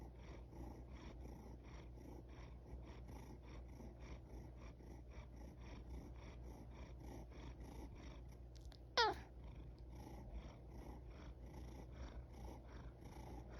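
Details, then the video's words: A yawning house cat gives a single brief, high squeaky sound that drops quickly in pitch about two-thirds of the way through. Long quiet stretches with a constant low hum come before and after. "Sweet sounds of a yawning cat | Esneyen kedinin tatlı sesleri"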